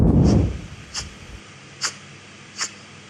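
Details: A pet rabbit sneezes three times, each a brief, soft, hissing puff under a second apart; sneezing can mean dust or other allergies, or a cold.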